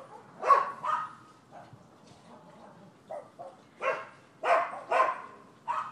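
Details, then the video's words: Neighbors' dogs on 7 December 2015 give a couple of barks, then a quieter gap with soft yelps, followed by a closer run of four sharp barks. "Barking Dogs"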